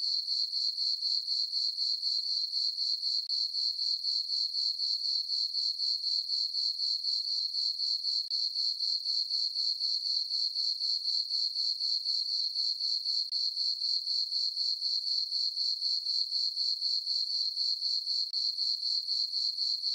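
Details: Summer-night cricket chorus from a farm meadow under the full moon, a continuous shrill ringing trill broken into regular rapid pulses, about four per second, unchanging throughout, nothing else audible.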